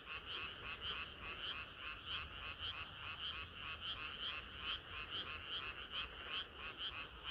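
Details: Chorus of frogs on a hot summer night, unbroken rhythmic croaking pulses about three per second, layered voices blending into a thick, ringing texture with faint low background noise.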